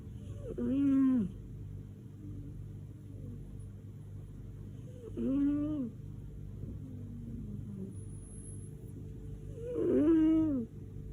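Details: Lady Silvana, a pet cat said to snore like a tractor, asleep indoors: three long tonal, harmonic snores, each about a second, sliding down at the end, spaced roughly every four to five seconds over low room hum.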